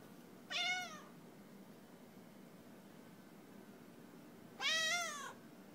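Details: Cat mewing twice, about four seconds apart, each call short and bright with rich harmonics, rising then falling, against a quiet background with faint hum.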